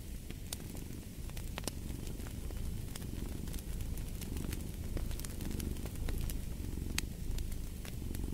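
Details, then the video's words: Low continuous cat purr with a crackling hearth: deep rumble softly swelling and ebbing in breath-length waves, punctuated by frequent bright pops and snaps of burning wood. "Fall asleep to the Purring of a Cat & Fireplace"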